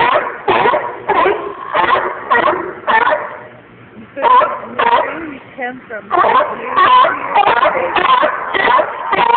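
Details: Noisy seals calling: harsh, harmonic bark-like bursts repeated roughly every half second in rapid runs, with a quieter spell of softer, scattered calls midway before the loud barking resumes.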